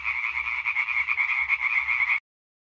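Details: European tree frogs (Hyla arborea) in a calling concert recorded on 20 May 2023: a dense, continuous rattling chorus of rapid pulsed croaks, bright and nasal, holding steady for about two seconds before cutting off abruptly.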